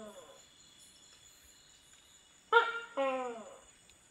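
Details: A tokay gecko (Gekko gecko) calls at night in a Thai rainforest, giving loud, explosive two-part croaking 'to-kay' calls with the second note dropping in pitch.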